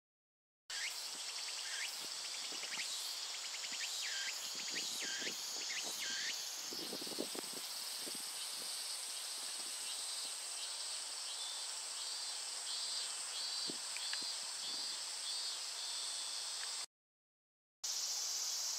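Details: Japanese cicadas fill the air with a dense, steady high-pitched buzzing drone. Hooked, rising whistled notes repeat over it about once a second for the first seven seconds, with low rustling and knocks beneath. A short silent break comes near the end.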